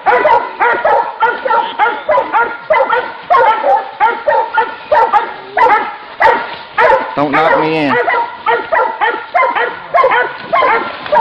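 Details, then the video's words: Hunting dogs at bay with a wild boar. Many loud, clipped barks and yelps overlap in a frantic stream, with a brief lower, drawn-out harmonic cry near the middle among the barking. "anjing vs babi hutan"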